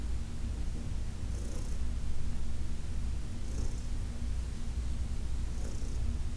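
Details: Under a massage on August 4, 2021, Heidi, a senior cat from the Humane Society of New York City, keeps up a low, pulsing purr while gentle hand strokes swish roughly every two seconds.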